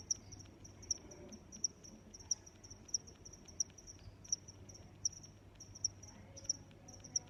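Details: Steady cricket chirps, each a crisp high-pitched pulse, repeating at regular intervals of well under a second, set against a quiet low-frequency background murmur.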